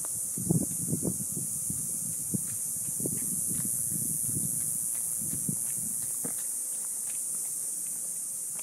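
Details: Cicadas in a Palo Verde and mesquite trees in a neighborhood just after sunset on a hot summer night keep a continuous, thin, hissing high drone, with close footsteps crunching on dry ground; they stop when approached.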